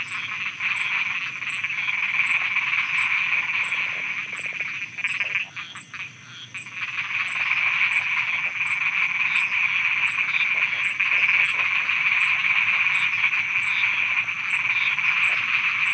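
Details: A dense night chorus of frogs in Thailand, a steady buzzy trilling blur with rapid repeated notes.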